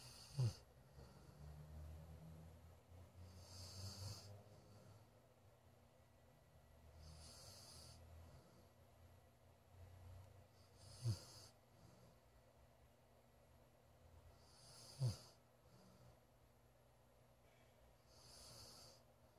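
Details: A Golden Retriever asleep indoors in a room snores with deep rumbling breaths in and out every few seconds, broken now and then by a short sharp snort, over a faint background hiss.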